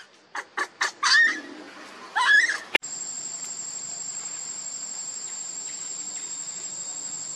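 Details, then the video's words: Baby monkey Lucie begging its mother for milk and being refused: three short sharp cries, then two longer wavering squeals within about three seconds, followed by a steady high-pitched whine. "Lucie Beg Mom's Milk But Mom Reject Hardly I Lovely Baby Monkey"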